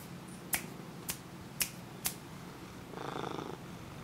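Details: Attention-seeking Siamese cat filmed indoors in dim light with a Sony HDR-CX550V: four crisp snapping clicks evenly spaced about half a second apart, then a short, harmonic, half-second meow near the end over a low electrical hum.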